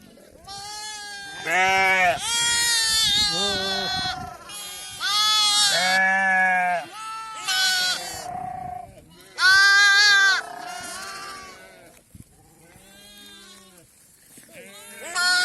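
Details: Sheep being vaccinated against PPR, a mother coming for her lamb: loud wavering bleats from several animals overlap in bursts of one to two seconds with short pauses, faint speech and music between them.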